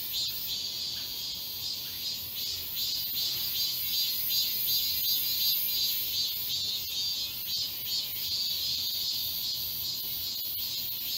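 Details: Many cicadas fill the Galsan Park forest in Mokdong, Seoul, during midsummer with a continuous piercing buzz, throbbing in rapid regular pulses that swell and fade slightly across the stretch.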